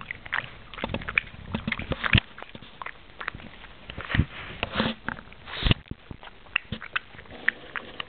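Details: Pug chewing a peanut, making wet, squishy smacking sounds in quick irregular bursts, with sharp clicky snaps scattered between softer slurping moments.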